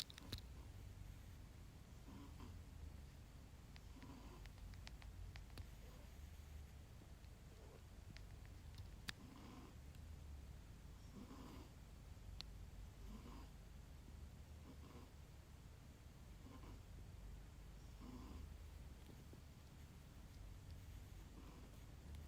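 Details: Rescued black-and-white tuxedo cat named Nana snoring softly while asleep in non-REM sleep, twitching; quiet low rhythmic breaths with faint soft snorts recurring roughly every second, in a small quiet room.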